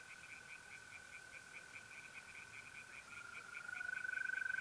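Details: Tree frogs singing in a pond at night in mid-April in north-east Italy: a rapid, even series of short croaking pulses, about four each second, over a steady high trill of mole crickets that swells louder near the end.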